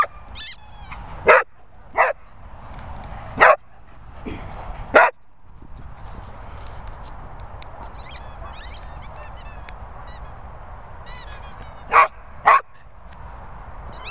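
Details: English Springer Spaniel giving single sharp barks spaced a second or more apart, a pair close together near the end, over steady background hiss and faint chirping sounds.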